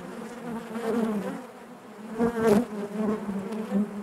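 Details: Honey bees hum in their hive: a low, rich droning buzz that dips briefly in the middle, then swells with a louder close pass of a bee before settling.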